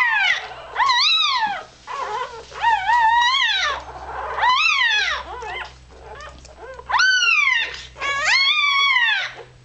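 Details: A newborn Irish Terrier pup, only hours old, cries as it seeks warmth and milk. Shrill, rising-then-falling squeals come in clustered runs with brief gaps, over a faint low hum.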